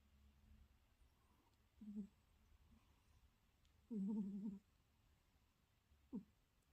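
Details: Domestic cat asleep next to its owner at night, snoring loudly enough to keep the owner awake; three low nasal snore bursts, the longest lasting under a second, separated by quiet breathing gaps indoors.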